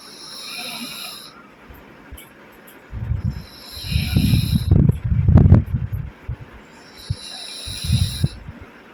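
A sleeping pug puppy snores in low, rumbling bursts with wheezy breaths between.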